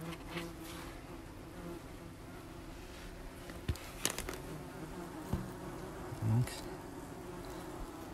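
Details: Crowded German wasp nest being prepared for treatment: a continuous, even buzzing hum of many wings sits low and constant, with several sharp taps and a brief thump around the sixth second.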